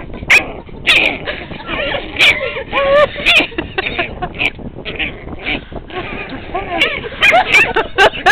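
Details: A 7-week-old Chihuahua puppy gives high, wavering yips and whiny growls in protest at being poked.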